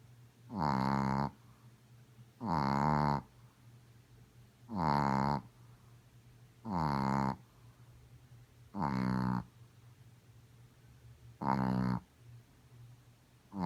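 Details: Godiva, a pet female Chihuahua, snoring loudly as she usually does: six deep, rasping, harmonic-rich snores, each about half a second long, repeating steadily about every two seconds over a quiet low hum.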